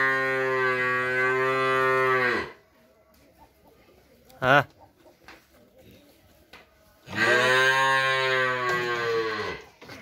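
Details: Friesian heifer calf for sale in Pabna, Bangladesh, lowing twice: a long steady deep moo, a pause with a brief sharp squeak and soft background noise, then a second sustained moo of about three seconds.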